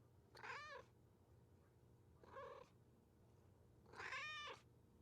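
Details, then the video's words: Domestic cat meowing loudly, three harmonic-rich meows of about half a second each, spaced roughly every 1.8 seconds, rising then falling in pitch, over a low steady hum. "Sounds of Cat Meowing and Kitten Meowing |Baby Cats Meowing |Cats Meowing Loudly"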